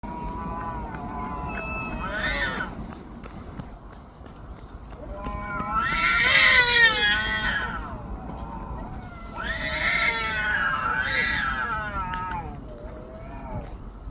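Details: Stray cats in a loud quarrel outdoors, trading long wavering yowls that rise and fall in pitch, with three loud swelling bouts separated by quieter moaning, against a low urban background hum.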